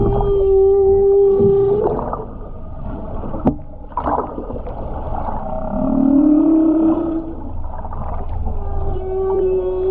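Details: Humpback whale song recorded underwater while skin diving off the Ogasawara Islands, Tokyo, Japan, on 29 January 2022: a long steady tonal moan, then rumbling groans and a rising whoop, ending on another sustained hum.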